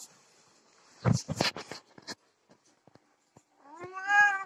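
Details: Cat during mating, desi and Persian pair: thumps and scuffling knocks in the first half, then scattered clicks, ending with a long, rising, harmonic meow-like wail.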